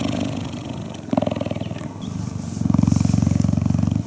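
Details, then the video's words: Cheetah purring while cuddling: a deep, steady, rhythmic rumble of rapid pulses in two alternating breath phases, with a short pause between inhale and exhale. "Cheetah Cuddling & Purring"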